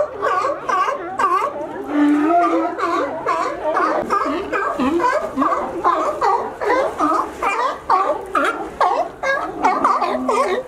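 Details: Crowded sea lions at a favourite California resting dock, reached by climbing over a fence, keep up a dense stream of rough, bending barks, several callers overlapping at about two per second.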